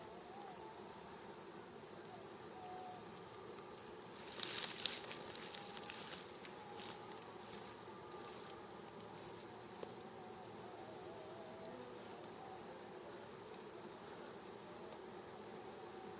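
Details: Honey bee swarm being gently guided by a beekeeper into its hive: dense, steady low humming drone throughout, with a short burst of crackling snaps around the middle and scattered faint clicks.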